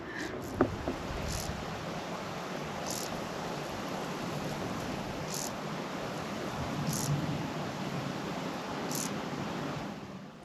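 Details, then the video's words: Many grasshoppers sing in a September meadow in Warwickshire near Fenny Compton Tunnels, giving short, high, hissing bursts roughly every two seconds over a steady rumble; hawthorn hedgerows heavy with fruit nearby. "And all of a sudden, it's September, and the meadows here are singing with grasshoppers. Love you to just listen to this."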